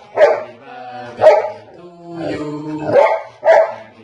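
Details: Golden retriever dog singing along to his birthday song, drawn-out harmonic howls rising and falling, broken by short yelping bursts about every second.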